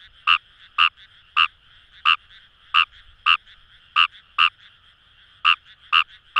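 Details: Paddy-field frog Fejervarya kawamurai, known in Japan as numagaeru, at the Kamo River rice fields in Itoshima, Fukuoka: loud rasping croaks at uneven intervals, some in close pairs, with a constant frog chorus behind.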